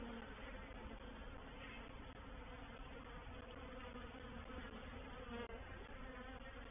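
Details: Honey bee reproductive swarm entering a swarm trap, recorded 04/07/21 at Painted Peacock Manor; continuous massed droning buzz, low and even, with a few brief higher tones near the end.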